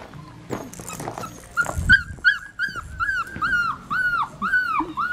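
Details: Female Australian Shepherd puppy, black tri coat, at an Oklahoma breeding farm, crying in a quick run of high, squealing whimpers about three per second, each sliding downward, after some shuffling and low handling noise.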